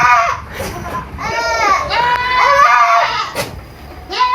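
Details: Baby goats at a farm in Purwokerto, Indonesia, giving overlapping high wavering bleats that sound almost like crying, continuous over several seconds, with a few sharp clicks and short gaps.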